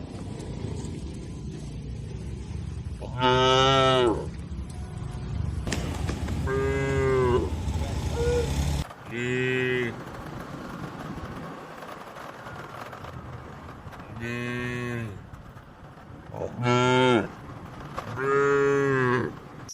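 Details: Tame cattle (sapi lembu) eating grass amid a green oil palm plantation in rural Indonesia, giving a series of six strong harmonic moos, each about a second long, spaced irregularly over twenty seconds, with low rumbling background noise between calls.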